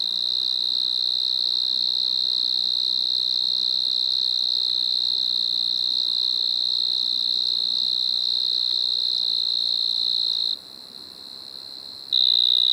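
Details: Pteronemobius lineolatus, the striped marsh-cricket, recorded in Maggia, Switzerland, 1 September 2023, holding a continuous shrill trill for about ten seconds. It breaks off briefly to near-silence, then resumes just as loud.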